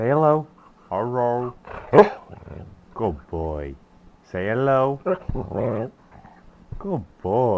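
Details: Pet dog "talking" in a short series of grumbling, moaning syllables, some rough and growly, others smoother and wavering, broken by short pauses, with a person's voice mixed in between.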